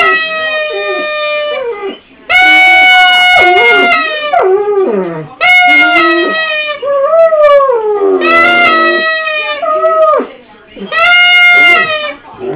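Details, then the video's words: Pet dog, prompted by its owner, giving a goofy howl likened to a moose: long, wavering, nasal tones in sustained bursts of several seconds, sliding up and down, with breaks between them. "Moose Howl"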